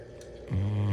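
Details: A sleeping female Bloodhound gives a deep, rumbling snore that swells in halfway through, while Christmas ornaments roll over her face.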